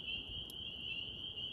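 Spring peepers in chorus, their high, piping peeps merging into one steady, shrill ringing.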